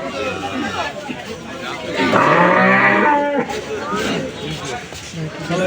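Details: Cattle, a huge bull at the Bogabari cattle market in Bangladesh, lowing with a long harmonic moo in the middle of the clip amid market chatter and men's voices.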